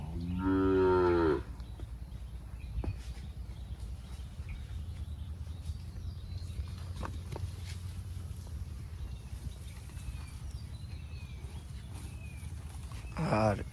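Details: Sahiwal bull at a farm in Birampur, Dinajpur, Bangladesh, one of a group offered for sale: a loud, deep, harmonic moo lasting over a second opens the clip, then low farm rumble and a second moo beginning at the very end.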